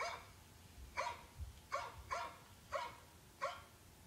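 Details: Domestic dog barking: six sharp, short barks spaced roughly half a second to a second apart, each a bright harmonic burst, over a faint low hum with no other sounds.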